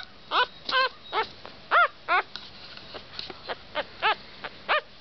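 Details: Havanese puppies near Knoxville, Tennessee give a run of high, arched whimpers and yips, about ten short squeaky cries, each rising then falling, spaced irregularly roughly every third of a second to half second, with a few softer cries in between.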